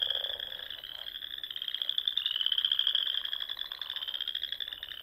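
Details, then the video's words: Dusk frog song in the Sandhills of Nebraska during spring, heard as an unbroken, piercing trill from a crowded chorus, with a brief lower croak at the start. "RELAXING SOUNDS OF FROGS"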